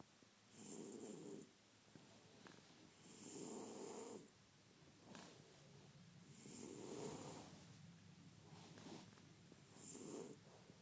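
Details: Sleeping French Bulldog snoring: four broad, raspy breaths over about eleven seconds, each swelling and fading, with soft wheezy gaps between them in a quiet room.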